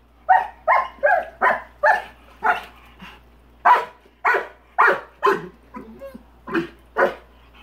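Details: Rottweiler in his own swimming pool barking at a big rock he dislikes; about fourteen loud, harsh barks in quick, uneven bursts, some doubled, with short pauses between them.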